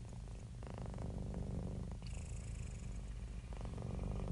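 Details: Happy domestic cat giving a deep, even purr, rapid low pulses near four per second, with breath-phase shifts and brief airy hiss midway.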